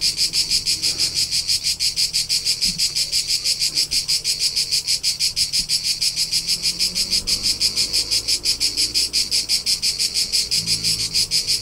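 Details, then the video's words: Cricket song in the rolling hills of Tuscany, Italy, during summer: shrill, high, rhythmic pulses repeating roughly three per second in an unbroken, even stream, with soft low murmurs faintly underneath. "CRICKET SOUNDS for TINNITUS and RELAXATION : : Soothing Soundtrack of Cricket Noises"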